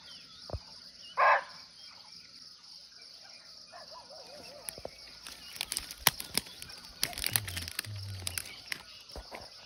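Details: Wild muntjac, or barking deer, calling from nearby in Nepal's natural forest: one short, harsh bark early on, then rustling, crackles and faint low thumps beneath a constant high-pitched insect chorus.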